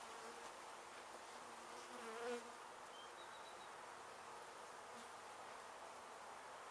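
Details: Honey bees from a hive in an abandoned house being demolished in Mission, Texas, disturbed after construction crews struck it and during its rescue and relocation. A dense, steady buzzing hum fills the clip, with a brief faint tonal sound near the middle.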